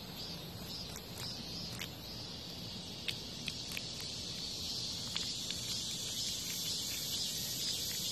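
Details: Cicada fighting off a hornet's attack outside a home: a steady high, hissing drone holds throughout, broken by occasional sharp clicks and brief louder buzzy bursts.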